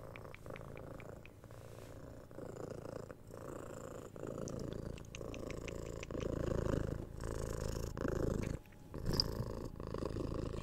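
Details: Six-month-old kitten being cuddled and scratched on the head, captured on a 3DIO binaural mic: a low rumbling purr pulsing with each breath, with a run of soft clicking kiss sounds early on and brief scratching.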